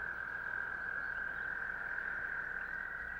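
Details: An American toad at a vernal pond gives a long, steady, musical trill that holds one even pitch without a break.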